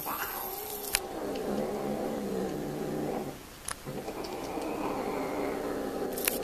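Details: Domestic cats mating, drawn-out harmonic yowling that wavers and sinks in pitch for about three seconds, a short pause, then a steady moaning yowl resumes, with a few sharp clicks and knocks in the background.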